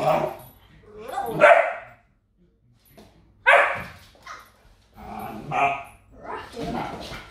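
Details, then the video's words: Rocky, a 2.5-month-old German Shepherd and African Boerboel cross puppy, fighting with a mop; loud husky barks at about one and a half and three and a half seconds, followed by gruff grumbling yaps, a brief quiet gap between. "Rocky enjoying mop fight :D | German Shepherd x African Boerboel"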